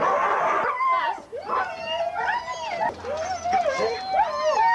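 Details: Huskies at a sled dog race in the Forest of Dean, England, November 2001: several dogs give short bending howls and whines that swoop up and down, overlapping, after an opening burst of noisy barking.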